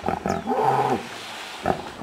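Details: Wild hippos in the Serengeti, Tanzania, in May 2008, seen on safari: a deep groaning grunt with wavering tone lasting about half a second, followed by a brief throaty snort, with wind noise.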